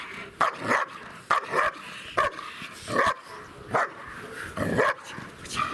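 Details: Nervous two-year-old German Shepherd bitch named Siggi, pressured in an unfamiliar bite-training setup, barking in sharp single and paired yaps at irregular intervals of about a second.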